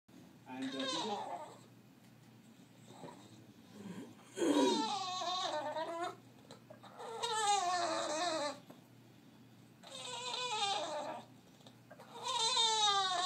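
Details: A bulldog whines like a crying baby in a small room, long wavering nasal cries rising and falling, repeated in four bouts with short pauses between them.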